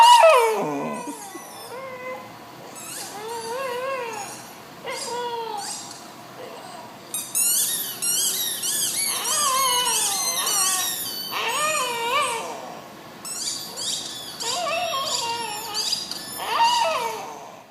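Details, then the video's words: Glen of Imaal Terrier, a female dog, vocalising with her squeaky football: wavering whiny howls alternating with clusters of high toy squeaks, somewhat quieter, with a faint background hum. "Milia Making Noises"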